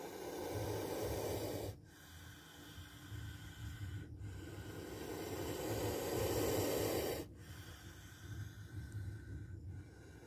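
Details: Hissing spectacled cobra caught on camera during a near bite: broad, airy exhalations, each lasting one to three seconds, cut off sharply. Four such hisses come in about ten seconds over a steady low hum.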